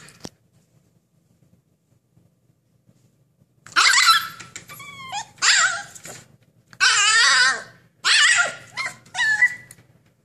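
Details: A Siberian Husky inside a small room protests, demanding freedom: after a quiet start come bursts of wavering, yodelling howls mixed with grumbling whines and short yips, paused between outbursts.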